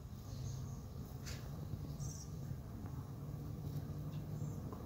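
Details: Honey bees at a hive entrance 45 minutes after robbing, 5:15 pm: a steady low droning hum with dense buzzing texture throughout, and a few faint high ticks and chirps above.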